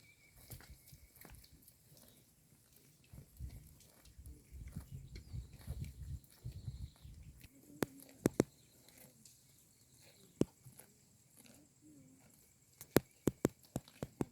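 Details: Grazing tame cows pull and chew wild grass at the edge of town. A dense burst of low munching fills the middle stretch, then gives way to scattered sharp snaps and clicks of torn stems over quiet rural background.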